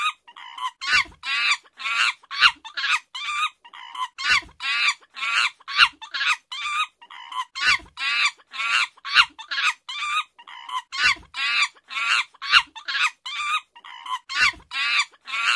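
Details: Long sequence of chimpanzee shrieks, steady at roughly two raspy bursts per second, grating and strained throughout, with intermittent soft low thumps and near silence between cries.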